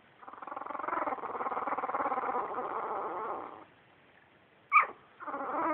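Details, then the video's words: Two-week-old puppies vocalizing: a long, wavering, nasal whine lasting about three seconds, then silence, one sharp squeak, and the start of another whine. "puppies making cute noises"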